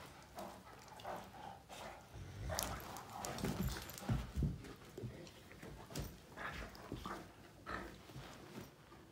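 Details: Two male Great Danes, Finn and Magic, mouth fighting in play, with Finn bugging Magic: low rumbling growls and scuffling thumps that swell in the middle, with scattered sharp knocks and a brief spoken word from a person.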